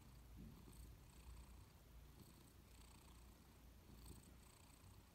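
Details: Persian cat dozing on a warm sofa, giving a faint, low continuous purr, a soft deep rumble with gentle swells of breath, recorded quietly indoors.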